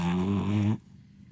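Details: Loud snoring from a napping, flat-faced French Bulldog of slow, mellow temperament, basking in the sun: one deep, rattling, low-pitched snore lasting under a second, then near silence.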